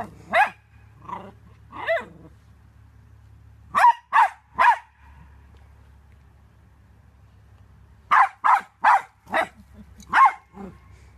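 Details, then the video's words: Barking Yorkshire Terrier, barks coming in quick bursts of two to four, separated by gaps of a few seconds, with a faint low hum under the quieter stretches. "YORKIE AMAZING BARKING - Yorkshire Terrier Barking and Howling Compilation"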